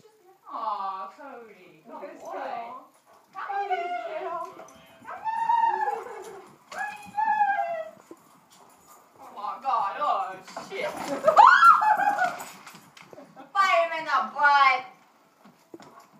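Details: Great Dane and German Shorthaired Pointers at play, the Dane newly adopted; repeated harmonic whining yelps and growly play noises come in bursts every second or two, with a sharp yip near the end and people talking.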